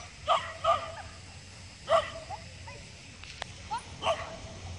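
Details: Shiba Inu called Snowflake competing in the jumping class of Taiwan's Luhe Cup agility dog contest, 8 December 2015: four short, bright barks, two close together early then two more spaced out, over low crowd noise.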